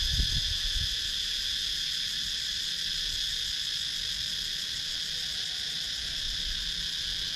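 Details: Cicadas in the woods of Sakon Nakhon's countryside, Thailand, recorded by GoPro Hero 9: a dense, even, high buzzing wall of sound, with a few brief low thuds at the start, then calm.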